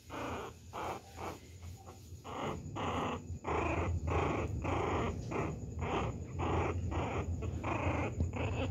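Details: Bonnie, a baby Pinscher, pestering the poodle Maia: steady, harsh growling barks repeated almost twice per second, rough and snarling with a deep rumbling undertone, sustained throughout.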